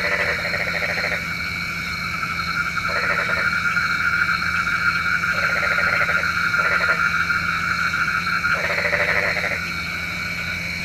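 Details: Frogs croaking at night, said to call rain: irregular bursts of buzzy, rapidly pulsed croaks, some long and some brief, over an unbroken high-pitched insect drone.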